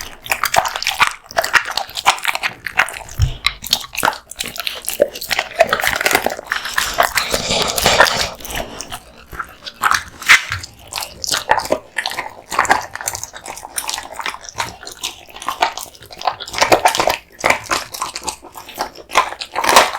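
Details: Kotetsu, a male American Bully, crunching raw bones and meat indoors; rapid crackling bites and grinding, a louder wet tearing burst midway, steady close chewing throughout.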